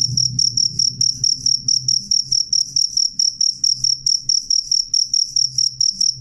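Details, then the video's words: Shrill cricket song of crisp, evenly spaced high chirps, about four per second, sustained and clear against a quiet low murmur. "suara jangkrik jernih keras"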